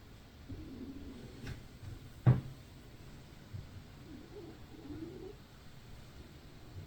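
A domestic cat snores softly, giving low wavering nasal hums with each breath.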